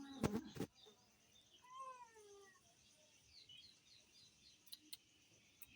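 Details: Young cat giving one clear, drawn-out meow that slides downward, preceded by a sharp clatter, with faint chirping and scattered clicks in a quiet room afterward.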